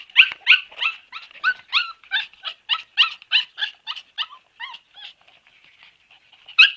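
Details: Siberian Husky puppy whimpers in a steady series, short high squealing cries about three per second, each with a slight falling bend, fading to faint squeaks before one last loud cry.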